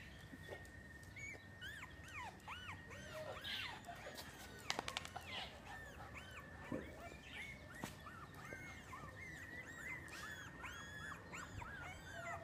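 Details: Miniature Schnauzer puppies in Oaxaca, new litter: many thin, high whimpering squeals arching up and down, overlapping and repeated throughout, over a steady high tone and low background hum.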